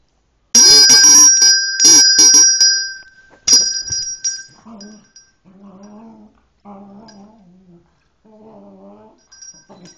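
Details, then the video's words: One-year-old silver buff cocker spaniel that hates bells. Loud ringing bells sound for about three seconds, then the dog answers with a run of drawn-out, wavering whines, five or so, each about a second long, separated by short pauses. "cocker spaniels hate bells"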